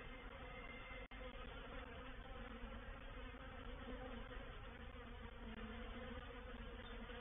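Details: Honey bees in a reproductive swarm moving into a bait hive at Painted Peacock Manor on 04/07/21; loud even buzzing from a mass of bees, broken by a single short gap early on.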